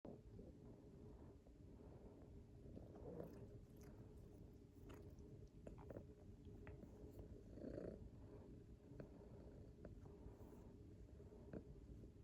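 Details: Domestic cat purring while grooming before bedtime: a steady low rumbling purr runs throughout, with soft licking and chewing clicks and a few faint brief squeaks over the top.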